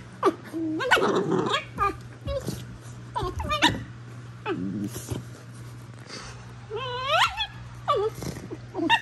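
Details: Squealing Basenji named Prisca, a female pet playing tough in a wild-dog style that is all for show. Rapid run of warbling, rising and falling squeals and yips with throaty growly bursts between them, over a constant low indoor hum.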